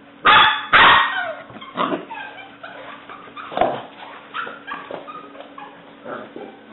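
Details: Two strong puppy barks open, followed by softer, uneven yaps and whines from Alice, a black and white tri-color English Springer Spaniel female aged seven weeks, recorded 5/17/09.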